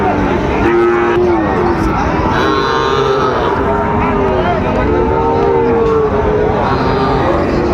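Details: Lowing from Sahiwal bull calves at Ambari market, Dinajpur, Bangladesh, as trading begins on 12 September. A short moo near the start is followed by longer, drawn-out calls in the middle, all over busy market hubbub.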